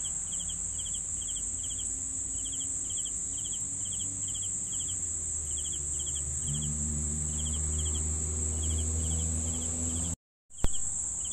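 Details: Crickets chirp in regular pulsed bursts above a sustained high whining trill, with a low rumbling drone building in the later seconds before a sudden brief dropout and click near the end.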